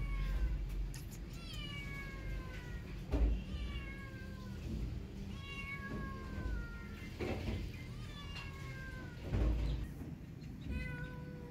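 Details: Hungry kitten stuck up high, calling loudly for food: repeated drawn-out meows with falling harmonic tones, roughly every one to two seconds, over a low rumbling background with occasional knocks.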